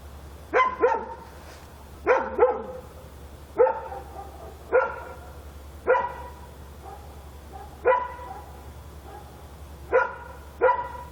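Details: Dog barking at night in Korea: sharp harmonic barks, mostly single or paired, repeated roughly every one to two seconds over a steady low hum.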